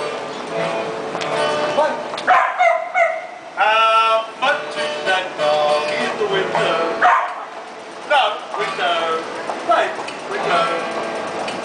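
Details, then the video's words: A busker's dogs singing for passers-by on a street in Central Melbourne, Australia: wavering howled notes rise and fall over one another, with breaks, amid street noise and talk. "Singing Dogs"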